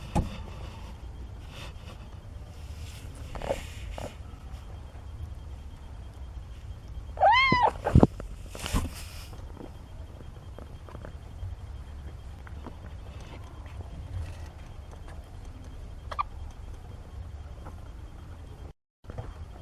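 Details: Kitten from Nina's litter of four, 17 days old, giving a single clear mew that rises and then falls, around seven seconds in, against a quiet low rumble. Otherwise soft rustling.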